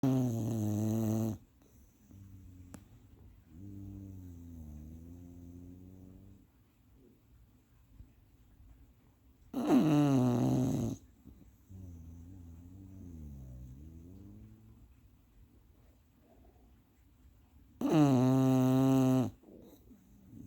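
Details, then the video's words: Female bulldog napping indoors, hard to wake: loud rasping snores in long bursts about every eight seconds, with softer wavering breaths between them. "Snoring Bulldog"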